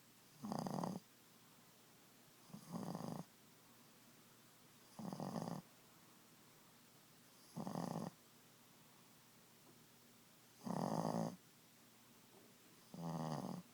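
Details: Boston Terrier Ziggie asleep at nap time, giving steady raspy snores, six breaths about every two and a half seconds, each a short rough burst over a quiet room background.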